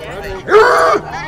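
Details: A Basset Hound "talking": one short, voiced, tonal sound about half a second long that rises, holds steady and then drops away, with rich harmonics, set between quieter moments of faint background noise.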